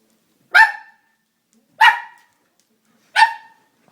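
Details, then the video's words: Doberman scared by a prank gives three single loud, sharp barks spaced evenly about 1.3 seconds apart, with silence between them. "Funny Doberman Prank | Dog Prank | Dog is Scared as Hell"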